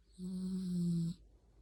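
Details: Yorkshire Terrier puppy asleep while held in someone's arms, giving one steady, low, humming snore lasting about a second, a smooth, even tone with faint higher overtones, then quiet.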